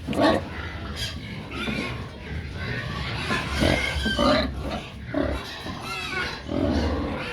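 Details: Several domestic pigs noisily calling when they want feed; overlapping harsh squeals and grunts come in repeated bursts with a constant low rumble underneath.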